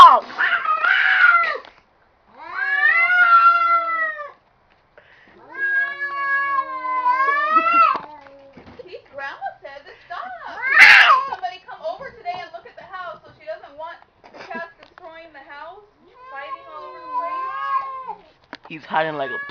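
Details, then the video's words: Indoors, a pair of cats caught fighting produce sustained, bending yowls that swell and dip, a sharp loud burst near the middle, then quieter rumbling moans, with human voices intermittently in the background. "cats talking"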